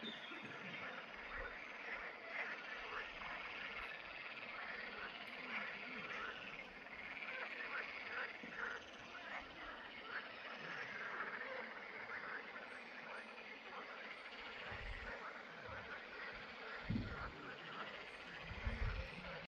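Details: Green frogs (Pelophylax) at ponds in the Draga valley on 11 May 2024: a dense, continuous chorus of overlapping croaks and rattling calls from many frogs, with a few low thumps near the end.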